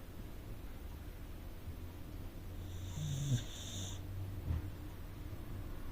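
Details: Asleep in the living room, a rescued Corgi snores once with a long, breathy rasp, followed by a faint snort, over soft low-pitched room noise.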